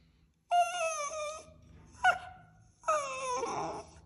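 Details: Denied a treat, a Westie puppy cries indoors in three plaintive whines, the first and last drawn out and slightly sinking, with a short sharp whimper between them.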